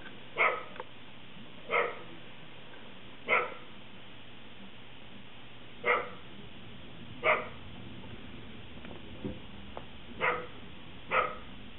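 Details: Corgi named Buster barking while playing in the snow, sharp single barks repeated roughly every one and a half seconds against a steady low background hum.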